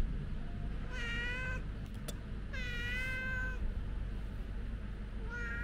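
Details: Two clear, sustained meows from a white stray cat by a bench table, the second longer and slightly falling, with a third starting at the end; a brief click and low traffic rumble underneath.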